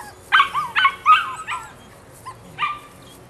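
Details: Female puppy at nine weeks old, Rodin/Katana, letting out four quick shrill barks with squeaky downward-sliding ends, a brief pause, then one more yelp.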